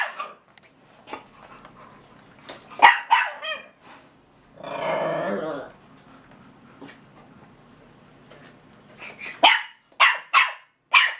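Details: Two kennel dogs, Russian Toy Zora and Belgian Malinois Bazooka, talking to each other: scattered barks, a sustained low grumbling growl around the middle, then a closing series of four crisp high barks.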